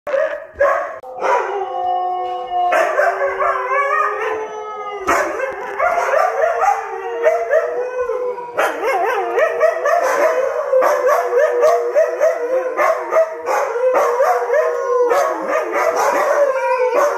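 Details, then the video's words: Several Siberian Huskies howl together as a 'choir' singing for their owner at home; after a few short opening yelps, long wavering overlapping howls rise and fall in layered tones, continuing without pause to the end. "the HUSKY CHOIR SINGS a SONG for DAD"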